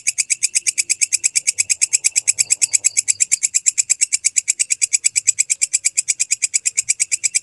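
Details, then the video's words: Walang kecek grasshopper in a clear recording made as tutor audio for songbirds: a steady train of sharp, high, ticking pulses, about six per second, held evenly throughout with no other sounds. "MASTERAN BELALANG KECEK SUARA JERNIH"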